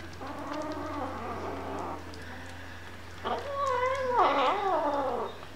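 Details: Hungry kittens meowing indoors: a wavering, harmonic-rich cry holds for about two seconds, then after a short pause louder, rising-and-falling meows overlap, as if several voices call together, over a steady low hum.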